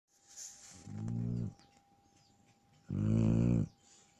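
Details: Sleeping Shar Pei dog snoring: two low, rumbling, buzzy snores about two seconds apart, the second louder and longer, with quiet breathing between them.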